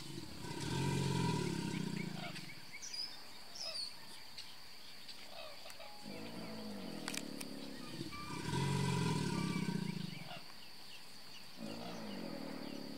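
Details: Two long, deep vibrating bellows, each lasting about three seconds and spaced some seven seconds apart, from a large male American alligator replying to another at the start of mating season, Brazos Bend State Park, Texas, USA; faint birdsong behind.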